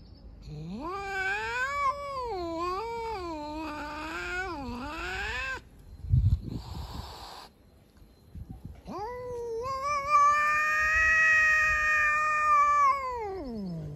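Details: Four hungry stray cats living outside, aggressive and trying to attack each other, meow loudly: a long wavering yowl, a brief scuffling pause, then a sustained, strained, rising-and-falling caterwaul.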